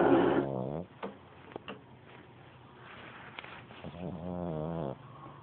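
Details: Pug puppy asleep and snoring: a loud, rough, harmonic snore fades out in the first second, followed by a quiet gap with a few soft clicks, then a second long grating snore about four seconds in.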